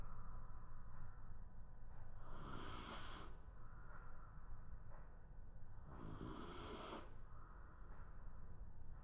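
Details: Shiba Inu dozing on the floor at lunchtime, giving two long, airy snores about four seconds apart. A hissing rasp marks each breath, with quiet low background rumble in between.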